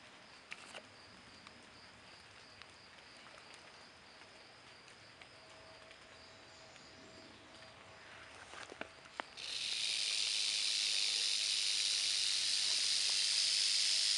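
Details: Quiet outdoor background with faint scattered clicks for about nine seconds, then a timber rattlesnake in Berkley Springs suddenly starts a loud, sustained, high-pitched buzzing hiss that continues to the end.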